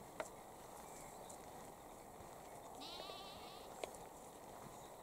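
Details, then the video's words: One fairly soft, trembling bleat midway through, against a steady field hiss. Lambs and sheep are grazing in Cambridgeshire, UK, at 6:46 pm on 20 April 2021, lambs with heads through a fence eating grass. "Lambs head through fence eating grass & Sheep grazing in Cambridgeshire UK"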